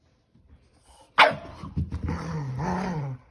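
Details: Pet dogs, a Keeshond and a Boston Terrier, playing a game of tug with a carrot toy: after a quiet start, one sharp bark rings out, followed by a low, rumbling growl lasting over a second with faint scuffling.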